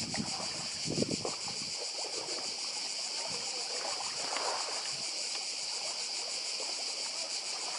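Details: Cicadas buzzing on Badija, a Croatian island, 2024: an unbroken high, pulsating hiss over nearby sea, with splashing water bursts near the start and middle.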